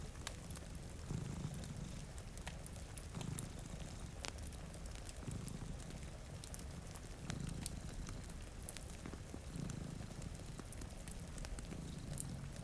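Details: Two domestic cats sleeping in front of a rainy window purr in a low, rumbling drone that swells and fades in slow waves about every two seconds, with crackling fire clicks and a steady hiss of rain throughout.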